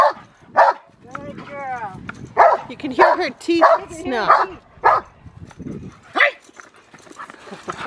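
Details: Rottweiler Magda vd Fehn Kolonie, BH, in protection work: loud, sharp barks in an irregular run, about seven in eight seconds, each a short harsh burst, with human voices talking between and over them.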